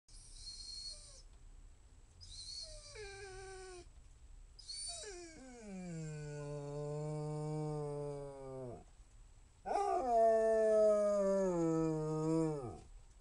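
A Basset Hound gives long, mournful howls, each sliding down at the end.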